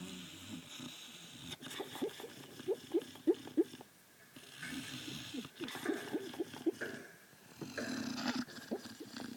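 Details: A dreaming Shar Pei dog snoring in its sleep, a string of short, soft, nasal puffs and whimpery squeaks coming in quick irregular bursts, with a brief pause midway.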